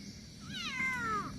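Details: A talkative pet cat, out sightseeing and travelling for the first time, gives a single meow: a short rising onset, then a long, slowly falling drawn-out tone, over a faint low background hum.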